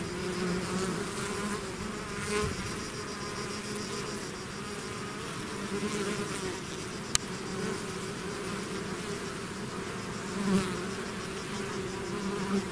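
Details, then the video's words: Swarm of bees out of its hive, a dense continuous drone with overlapping hums banded near 200 and 400 up through higher harmonics, steady throughout with a brief sharp click midway. "bees therapy swarm natural buzzing sound"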